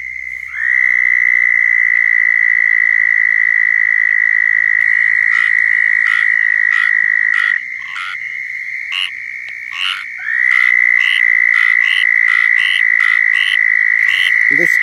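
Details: At a central Florida pond on a cold night (about 48°F), a southern toad's loud, sustained high trill dominates a breeding chorus, with squirrel tree frogs calling behind.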